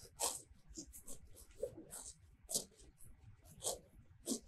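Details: Cows grazing close by in a sunny meadow of fresh grass, their tongues pulling off grass in sharp, crisp tearing bursts repeated irregularly every half second to second, with no mooing.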